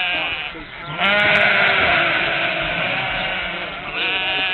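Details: A single sheep bleat swelling after a brief dip, a loud sustained harmonic cry with slight wavering lasting about three seconds.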